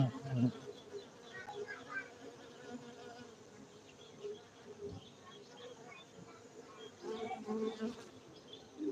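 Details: A soft, continuous low hum of honey bees kept at a bee-farming centre in Bener Meriah, Gayo, Aceh, Indonesia. Brief louder swells of buzzing come near the start and again around seven seconds.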